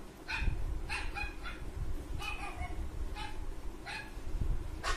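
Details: A Golden Retriever puppy, reacting to a dog barking, gives short, bright barks and higher yips in irregular bursts, some close together, others about a second apart, over a constant low handling or room rumble.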